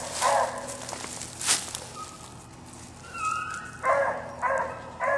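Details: Bouncer the dog barks once early, then after a pause gives three spaced barks toward the end, set against a noisy outdoor background.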